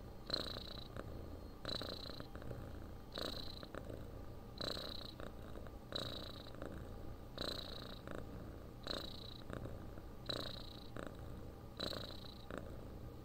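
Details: Steady purr of a pet cat, presented as soothing sleep sound: continuous deep rumble swelling with each breath, about nine regular breath cycles at roughly one and a half second intervals, soft airy hiss on every cycle.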